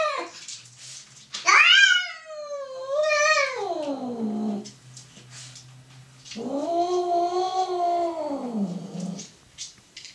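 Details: Emil mating Muffy, two domestic cats indoors, with loud caterwauling: a wavering, falling wail, then a second rising-and-falling drawn-out yowl, with a low hum in the room.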